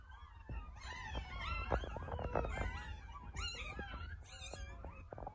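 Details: Ten lively pups in an incubator after caesarean birth, waiting for their mother to come back; a continuous tangle of thin, wavering squeaks and moaning whines from several puppies at once, over a low hum.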